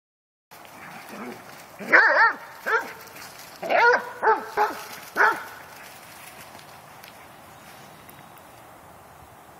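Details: Dogs playing: a few short whines, then a burst of quick, high yipping barks in two clusters over about four seconds, followed by quiet room noise.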